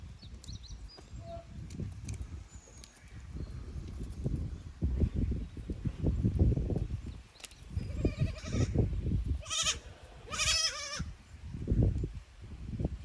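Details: Goat kids on a Japanese goat farm, May 2024, visiting an unfamiliar upper pasture from their lower one; low rumbling handling and movement noise throughout, then several short harmonic bleats clustered near the end.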